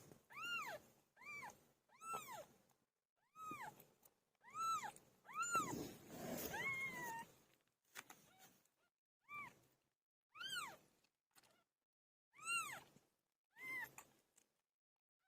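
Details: Cat Pilo giving birth: a series of clear, high, arching meows repeated roughly every second, separated by silences, with a noisy rustling stretch in the middle.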